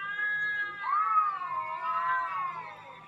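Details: Cat sound played to lure cats, aimed at a cat named Nuan: a single long, loud, wavering meow that rises and sags in pitch, rich in harmonics.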